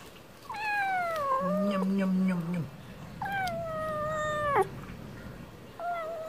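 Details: Hungry stray cat begging for wet food with long drawn-out meows, the first sliding down and then holding low with a rough undertone, a second level and steady, and a short third starting at the end.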